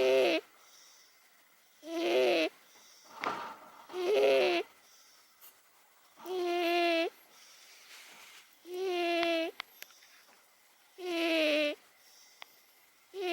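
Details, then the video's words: Snoring of Momo, an elderly 18-year-old house cat, sleeping: loud, reedy, harmonic snorts rising and falling with each breath about every two seconds, slightly irregular, with a faint click or two in the quiet gaps. "モモ 18歳 ～ ひたすら いびき!! 編 ～"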